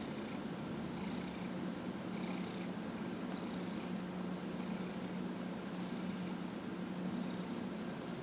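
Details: Dillard, a 15-and-a-half-year-old house cat being massaged on January 31, 2018, holds a constant deep purr, a smooth low rumble with faint breathy texture and no other sounds.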